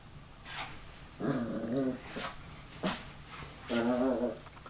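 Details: Puppy growling at its own reflection in a mirror, indoors: two low rumbling growls with wavering tone, separated by short sharp sniffs or yaps.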